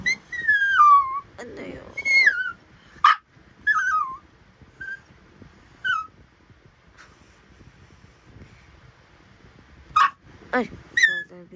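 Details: Chattering Pomapoo puppy, a Pomeranian and poodle cross, making a run of high whistled whines and squeaks, some sliding down, others wavering, in irregular bursts with pauses, plus brief sharp yips.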